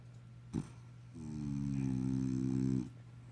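A French Bulldog snores in one long, low, buzzing rattle over a faint steady hum.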